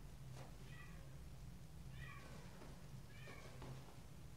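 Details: Stray and domestic kittens meeting face to face give three short, thin, high meows spaced about 1.5 seconds apart, over a steady low hum.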